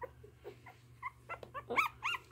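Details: Chocolate Dachshund puppy, a newborn opening her eyes, giving soft high whimpers and squeaks that grow louder and more frequent toward the end, with a low steady hum underneath.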